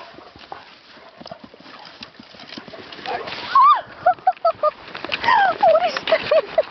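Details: Kuvasz at play, making a series of short whining, yelping calls with wavering, bending pitch, several in quick succession in the second half, over background rustling and scuffling.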